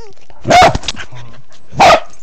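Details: From beneath a bed, a Corgi in a low crawl, recorded on an Android phone, fires off two short, explosive barks about a second apart, with soft vocal sounds in the gap.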